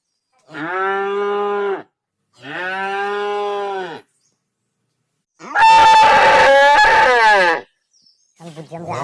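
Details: Cow lowing in a series: two even, deep moos of about one and a half seconds each, then a louder, rasping, strained moo. A brief faint fragment of another call follows at the close.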